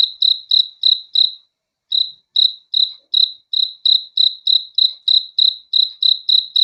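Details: Cricket at night, a single caller chirping with clean, high pulses roughly three times a second; a short pause breaks the run near the second mark, then the steady rhythm resumes against an otherwise silent background.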